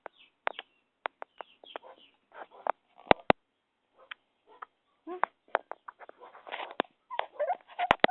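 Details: Several cute puppies, giving short high yips and thin whining squeals in scattered bursts, with sharp clicks and knocks between the calls.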